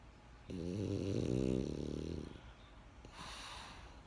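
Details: Benjamin, a French Bulldog, sleeping: one drawn-out vibrating snore with a wavering low pitch, then a brief soft breathy exhale after a pause.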